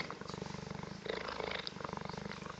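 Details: Newly arrived cheetah on its first visit, purring steadily as people greet it; a continuous rapid pulsing rumble fills the recording with faint human voices mixed in.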